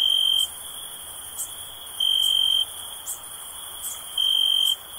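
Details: Cricket sound for relaxation: three sustained shrill trills, one about every two seconds, separated by a softer steady high drone and faint ticking.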